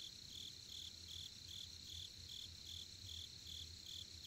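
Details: Camping-ground crickets in Korea near a campfire, a clean regular series of short high chirps roughly every 0.4 seconds over a continuous ringing trill, with a soft low hum pulsing along.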